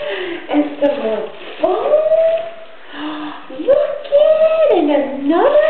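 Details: Cayman, a five-year-old female Vizsla, plays with her Christmas present of new toys at home; drawn-out whining howls rise and fall, sliding up to long wavering notes and back down, with a few short breaks between them.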